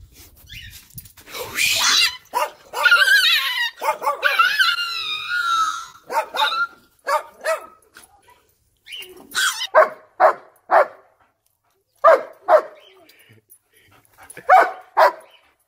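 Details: German Shepherd barking excitedly at puppies, short loud barks in bursts with a drawn-out wavering howl-like whine near the middle, then spaced single barks every half second to second.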